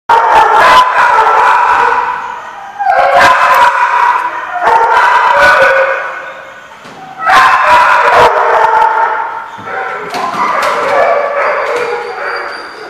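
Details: Dogs barking and howling loudly in long, dense bouts with harmonic, tonal cries, several voices overlapping, broken by short pauses; sharp clicks and knocks mixed in.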